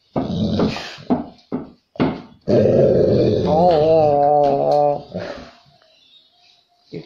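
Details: A white golden retriever puppy, told it cannot go for a walk, gives short, sharp barks and then a long wavering whine-growl, demanding the walk.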